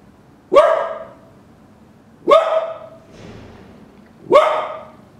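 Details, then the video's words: Roka the dog delivers three sharp, evenly spaced barks roughly every two seconds, each bright and clipped with a brief fading tail. "Roka barking !!"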